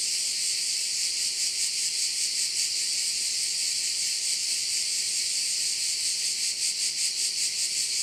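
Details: High, sizzling cricket chorus at one of Korčula's bays, rapid even pulsing that grows more distinct near the end, accompanied by a faint constant low hum in the background.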